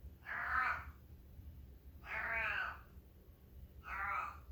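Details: Male long-haired domestic cat, a former feral now living indoors, vocalizing while constipated: three drawn-out, harmonic, moaning meows about two seconds apart, each slightly bending in pitch, in a quiet room.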